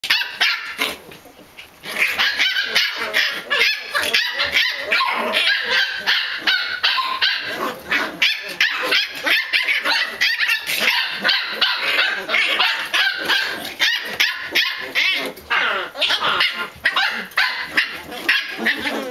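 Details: Pembroke Welsh Corgi puppy vocalising after a meal, a bout of chatter bred at a kennel: rapid, high yapping barks and whiny yips, tumbling out several per second with uneven rhythm, nearly continuous after a brief quiet start.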